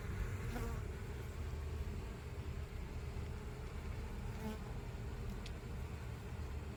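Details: Western honey bee swarm, a fairly large one, during a late spring swarm retrieval in Florida, settling around the box: a dense, steady low droning hum throughout, with a few faint clicks and brief higher buzzes of passing bees.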